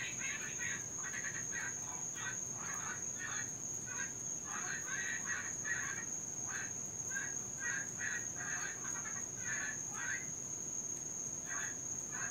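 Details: Several Cuban tree frogs calling through the night in Florida, where the species invades local ecosystems: short harsh, grating pulses come in uneven clusters, separated by brief gaps, over a continuous shrill insect-like drone.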